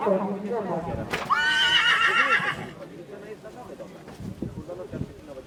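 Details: Polish Draft stallion, born 2019: after people talking, a loud shrill whinny of about one and a half seconds with a quivering, wavering pitch. Quieter voices and background noise follow.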